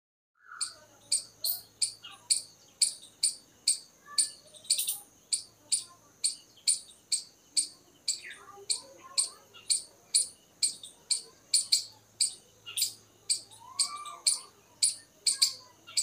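A squirrel calls with a long run of sharp, high-pitched chips, each a brief clicky burst repeated in a steady rhythm about twice a second. Faint bird chirps can be heard in the background.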